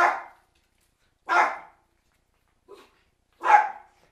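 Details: Cairn Terriers barking while a storm is on its way: three loud, sharp barks spaced over a second apart, with a brief soft yip between them and silence around them.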